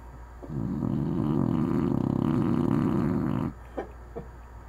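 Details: Sleeping dog named Anna letting out one sustained, rough, rattling snore lasting about three seconds, followed by quiet breathing and a couple of faint clicks.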